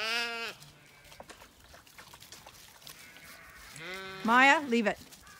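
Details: Zwartbles lambs on a County Kilkenny farm in Ireland bleating as the flock finally starts through a gate, with horses approaching and no aunty ewes to guide them. Two quavering bleats, the second loud and rising, with a woman urging them on.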